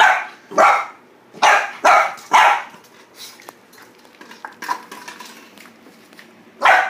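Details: Boxer puppy barking at a plastic bottle indoors: five loud, sharp barks in two bursts, four in the first two and a half seconds and one at the end, with soft plastic rattling and tapping between them.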